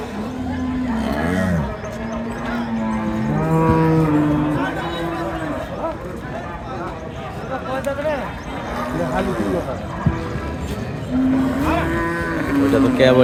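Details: Improved-breed dairy cows with calves at Sonaichandi weekly Wednesday cattle market, Chapainawabganj district, Bangladesh, 18 December 2024; several long, deep, drawn-out moos with rich harmonics, some wavering, over crowd voices.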